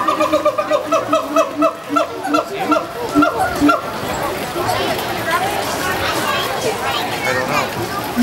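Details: Captive siamang gibbons in the Asia area of Disney's Animal Kingdom, 22 April 2013, call vocally in a rapid run of loud, hooting barks, followed by crowd chatter and running water.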